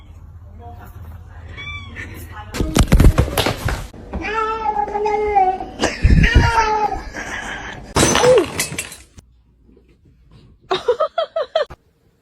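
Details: Domestic cat giving several drawn-out, tonal meows with clear harmonics, some rising then falling, mixed with human speech, bursts of handling noise and short clicks in an indoor setting.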